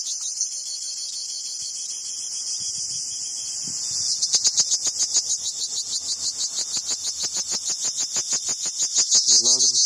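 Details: Cricket producing a continuous, very high, shrill trill. After a few seconds it turns into rapid pulsing, about three pulses a second, that grows gradually louder, with faint voices in the background.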